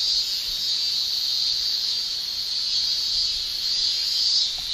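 Cicadas fill the air with a continuous high, hissing shrill, the males' tymbal song of a Japanese summer. The drone never pauses, only rising and falling slightly in intensity as the chorus blends together.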